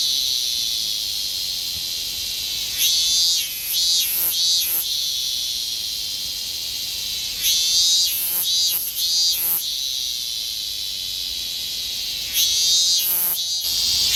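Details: Summer song of a higurashi cicada in Japan, heard as a few short, ringing pulsed phrases that swell and fade at intervals of several seconds against a constant shrill background drone.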